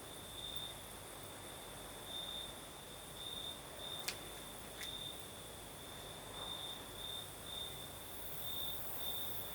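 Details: Singing crickets at night in Crimea's south, night breeze present: shrill pulsed trills recur in short groups, with a couple of sharp clicks near the middle and soft wind throughout.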